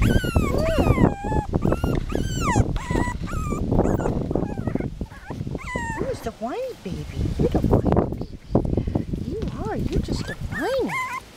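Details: Miniature Pinscher puppies at five weeks old, playing and looking for food, give repeated high, arching whimpers and yips while a woman coos to them in a sing-song voice.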